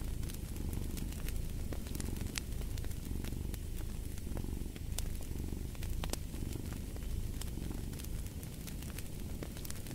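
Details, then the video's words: Low continuous purr from a cat, gently pulsing with its breathing, set against a cozy fireplace whose crackles and sharp pops sound throughout. "Purring of a Cat"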